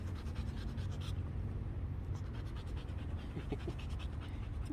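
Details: Female Belgian Malinois during basic obedience training, panting steadily in quick rhythmic breaths against a broad noisy background, with a few faint scratchy sounds.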